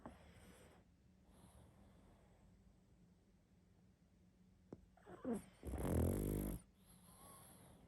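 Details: Sleeping pug snoring loudly: a single harsh, rattling snore swells about two-thirds of the way through, preceded by faint breathy snuffles and quiet room hush.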